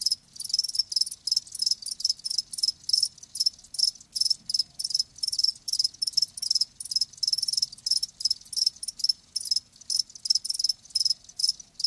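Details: Live crickets chirping steadily, with dense rapid high-pitched pulses in short bursts repeated several times a second throughout, a faint low hum beneath and no other clear sounds.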